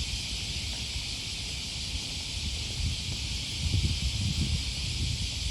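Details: August 2020 morning on the Okawa River path near Sakuranomiya Park, Osaka, Japan: cicadas keep up a constant high hissing drone while heavier footsteps and low rustling grow louder toward the end.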